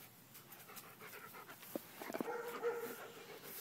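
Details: Heavily pregnant female German Shepherd, due to deliver pups within a week, panting quietly indoors: short breathy, uneven huffs, with a brief thin whine near the end and soft background noise.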